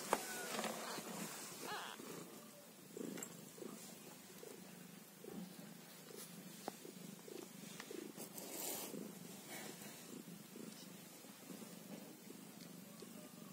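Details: Low pulsing purr from a kitten aged one day, rhythmic and unbroken, overlaid by scattered clicks, light shuffling noises and faint squeaky rustles.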